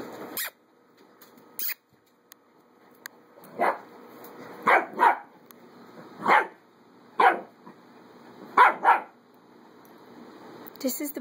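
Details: Adoptable puppies at play, giving a series of short, sharp, high yapping barks, some in quick pairs, scattered irregularly over about eleven seconds with quiet gaps between them.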